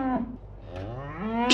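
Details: Cow mooing in a short, low, harmonic-rich call that dips and then rises in pitch. A brief sharp noise sounds at the end.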